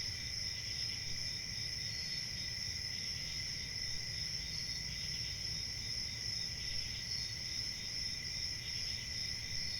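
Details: A steady wall of cricket chirping, high and ringing in several stacked pitches, with a slight rapid pulsing and no gaps, above faint low-frequency background noise.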